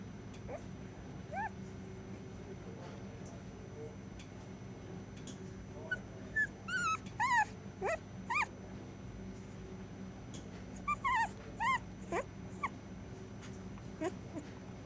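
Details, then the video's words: Sleeping female puppy whimpering during a nightmare: soft high whines and yips, first scattered, then a cluster of short rising-falling squeaks around six to eight seconds and another near eleven to twelve seconds, over a steady low hum. "Puppy having a nightmare"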